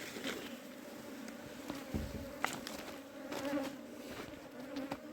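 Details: Honey bees buzzing while a wild colony is being hived into a box; steady hum with a low drone band, scattered clicks and handling knocks throughout.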